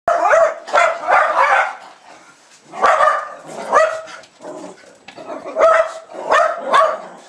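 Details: Two Jack Russell Terriers, Jasper and Jaclyn, about two and a half years old, greeting a woman returning home in Lenexa, Kansas, on 15 February 2010 while running and jumping. Sharp, harmonic barks come in uneven bursts, several close together, with short pauses between.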